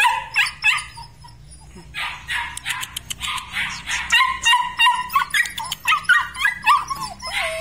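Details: Belgian Malinois puppies from a weaned litter give rapid, overlapping high yips and squeaky barks, building from scattered cries into a dense run of sharp yelps with some whining slurs near the end.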